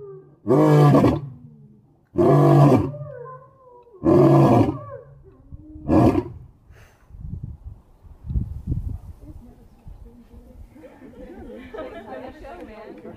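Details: A white lion gives four loud, deep roaring bursts about every one and a half to two seconds, each shorter than the last. Softer grunts follow and trail off into quieter rustling and low background noise.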